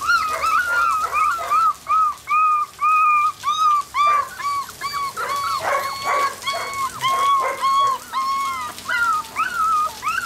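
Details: A litter of Border Collie puppies, black-and-white and blue merle, born 25 September 2013, whimper and yip continuously, short arched squeals overlapping rapidly at about two per second, with muffled scrabbling.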